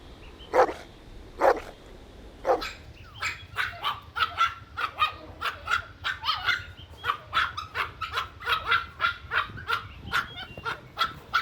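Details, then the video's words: Puppies in a playful outdoor toy battle and tug-of-war with their mother dog: three separate barks over the first few seconds, then a quick, busy run of short yapping barks, several each second, over a faint steady tone. "Cute Puppy Toy Battle with Mother Dog | Funny Barking Sounds"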